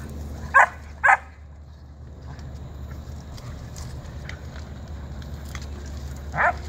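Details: A 14-week-old German Shepherd puppy, contesting another dog over its digging spot, gives two quick sharp barks close together. A long pause with faint rustling follows, then one more bark at the end.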